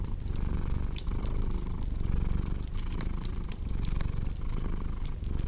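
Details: Domestic cat purring steadily indoors, a low continuous rumble swelling and easing with each breath about once a second, over sharp crackles and pops of a burning fireplace.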